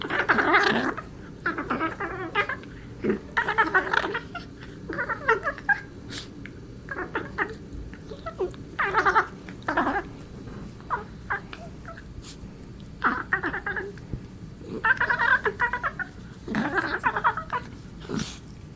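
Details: Domestic cat Darla playing with Marvin indoors, making odd alien-like noises: a long run of short, harmonic, chirping and warbling bursts, each under a second, scattered throughout with brief quiet gaps and soft rustling between them.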